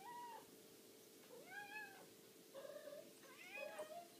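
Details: Domestic cats demanding food with four clear meows, the second arching up and down, the last two longer and more insistent, spaced about a second apart over a faint background hum.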